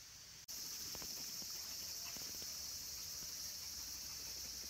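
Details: Near summer's end, cicadas including minmin and tsukutsukuboshi fill the woods around Kabusanji Temple in the mountains of Takatsuki City, Japan; after a brief cut, a loud continuous high shrilling drone dominates, with soft faint taps beneath.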